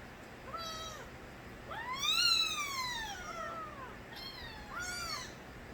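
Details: Stray kittens, the young of Nabi, cry out. Three drawn-out, high mews: one short, a long rising-then-falling wail in the middle, and a final briefer call, separated by quiet gaps.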